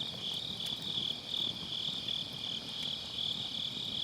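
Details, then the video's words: Grass insects trill through an autumn night next to a round fire pit, captured on a Sennheiser MKE600 with low cut; the high, rapidly pulsed chorus is steady, with faint crackling of burning logs beneath. "가을밤 풀벌레 소리"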